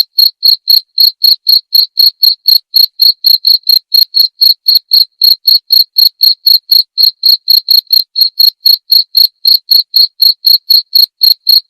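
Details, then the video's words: Clear cricket chirps for a murai batu masteran, meant to be played every night so the shama learns the sound. Bright, evenly spaced pulses repeat about four times a second throughout, with a quiet background. "masteran suara jangkrik jernih!"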